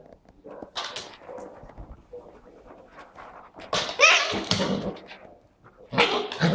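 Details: Labrador and Husky puppy at play in a living room; scattered yelps and sharp high barks, a bright burst around the fourth second and another near the end, amid rustling and movement sounds.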